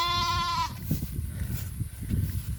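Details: Farm goat bleating as its owners look for a lost kid: a strong, even bleat of about half a second opens, followed by steady low rumbling and rustling outdoor noise.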